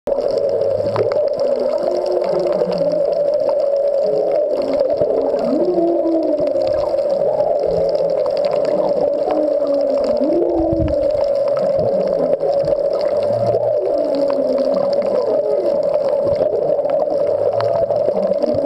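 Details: Humpback whale song recorded underwater at the Back Wall of Molokini off Maui, whales unseen but nearby: low, swooping moans and rising and falling whoops beneath a steady underwater hum.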